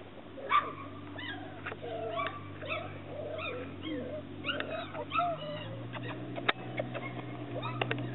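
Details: Chesapeake Bay Retriever puppies whimpering and squeaking in a steady stream of thin, high, rising and falling whines with short yips, over a low constant hum.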